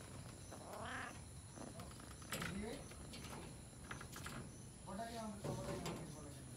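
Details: Jungle cat (Felis chaus) in a national park in Sri Lanka: short, harmonic, wavering mewing calls, one near the start and a pair later, with quieter low sounds between over a steady high background hum.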